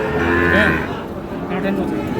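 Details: A brief, rich moo from a Sahiwal bull calf opens the moment at Ambari market in Parbatipur, Dinajpur, Bangladesh, in March, followed by dense crowd noise and voices.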